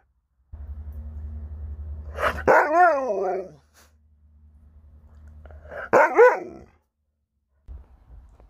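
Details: Alaskan Malamute named Sherpa at home, two wavering, warbling howl-like vocalisations a few seconds apart, each rising and falling in pitch, with a low background hum between them.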